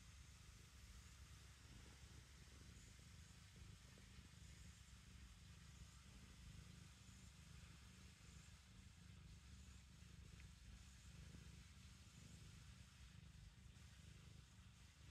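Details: Black kitten kneading, or making biscuits, purring: a steady low rumble that swells and eases in a soft, continuous rhythm, with no other clear sounds.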